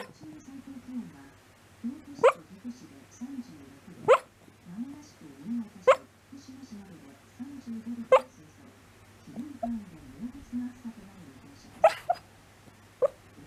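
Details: A sleeping dog moaning and whimpering through a bad dream, soft low groaning moans repeated in short bursts about once a second, broken by sharp clicking sounds, with a faint steady hum underneath.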